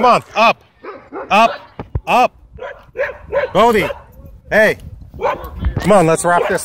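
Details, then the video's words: Wolfdog threatening a man at a dog park, giving a steady series of short arched, moaning vocal bursts, each rising then falling in pitch, packed closely together over several seconds. "Wolf Dog Threatens Man At Dog Park"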